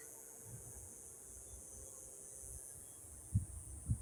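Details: Evening cicada chorus at sunset in Yuma, past 7 p.m.: a continuous high-pitched shrill holding level the whole time, over low rumbling and two dull thumps toward the close.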